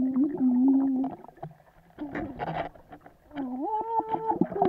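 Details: A swimming Vizsla whines in long, steady tones, then a noisy gap of splashing and breathing before a rising, higher-pitched whine resumes.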